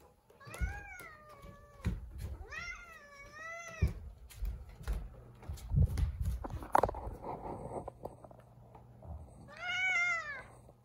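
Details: Zefir, a pet cat indoors in a kitchen, not in the mood and refusing to let anyone pass, gives three drawn-out wavering meows, the last rising and falling, with thumps, shuffling and household knocks between them.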